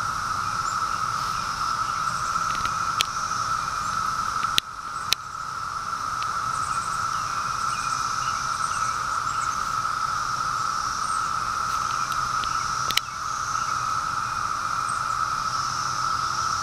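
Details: A steady, unbroken cicada chorus on the afternoon of 23 May 2013 holds one droning pitch, with a few sharp clicks.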